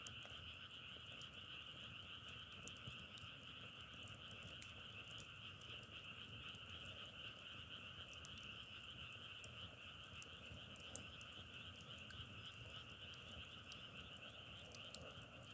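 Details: A dense frog chorus drones as two steady high hums, one higher and one lower, unbroken for the whole stretch, with sharp scattered crackling clicks like burning firewood over a low rumbling background.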